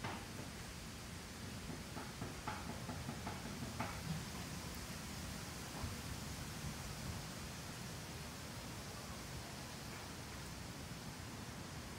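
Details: Soft even hiss like light rain or wind noise persists, with a few faint ticks and knocks.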